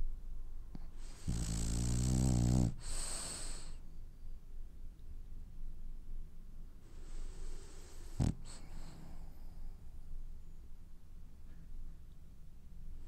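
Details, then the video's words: French Bulldog snoring while it dreams: a loud rasping snore with stacked buzzy harmonics lasting over a second, followed by a hissing exhale, then quieter breathing and a second short snort. "Snoring French bulldog has dreams"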